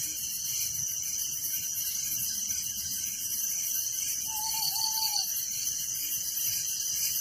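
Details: Crickets chirping after dark in a village, a seamless high-pitched pulsing drone in several layers, joined by one faint, gently wavering whistle past the middle.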